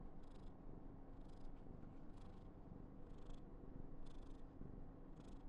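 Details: A female Somali cat purring affectionately indoors: a steady low continuous rumble with soft rhythmic breathy hiss bursts about once per second.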